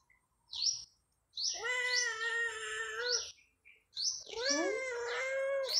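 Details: A pet cat described as able to talk gives two long, drawn-out, wavering meows of about two seconds each, separated by a pause, while high bird chirps sound repeatedly in the background.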